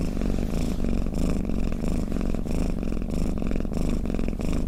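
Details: Domestic cat's snoring purr, a thick vibrating rumble close to the microphone, faintly pulsing about every half second to second in step with breathing, with no other noise.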